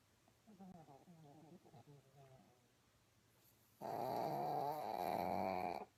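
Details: Pug dog snoring indoors: soft snuffling breaths in the first seconds, then one long, loud, rasping snore with a buzzy, tonal rattle that lasts about two seconds before stopping abruptly.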